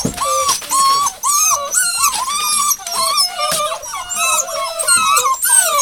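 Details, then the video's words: Rosebud's hound pups, 02/08/12, whine almost continuously, short squealing cries about twice a second from several animals overlapping, some flat, some sliding up and down. "Rosebud - Puppies"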